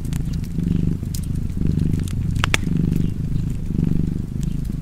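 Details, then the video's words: Cat purring softly with a low, breath-paced rumble, partly covered by crackling fire and a couple of loud snaps. "Purring Cat and Fireplace 4K / Wallpaper Tv Art Çerçeve / Cozy Purring Cat ASMR / Kedi Mırlaması"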